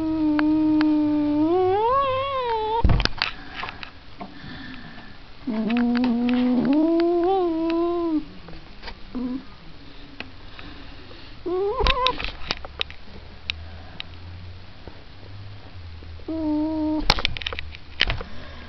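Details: Domestic cat yowling in long, wavering, drawn-out wails, rising and falling in pitch, in four bouts separated by quieter pauses with faint indoor rustling.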